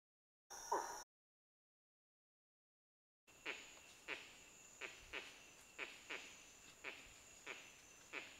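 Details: A female putty-nosed monkey (Cercopithecus nictitans) gives a rapid series of short, harsh calls to recruit males against a predator.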